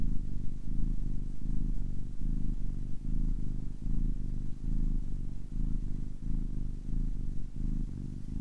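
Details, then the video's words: Purring of a kitten aged ten weeks: deep, even rumble swelling and easing with each breath in a regular cycle, recorded up close in quiet surroundings. "10 weeks old kitten purring"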